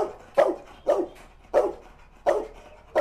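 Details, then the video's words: Angry dog barks as Musso confronts the pitbull that bit Art: five loud, clipped woofs spaced roughly every half second to second, each with a strong mid-pitched core, little other sound between them. "REAKSI MUSSO KETEMU ANJING PITBULL YANG GIGIT ART ‼️ MUSSO AUTO NGAMUK"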